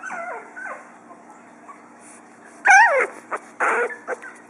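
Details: Four-week-old pug puppies giving high, sliding whimpers and yelps that dip and rise, then a burst of louder squealing yips near the end, with a steady low hum in the background.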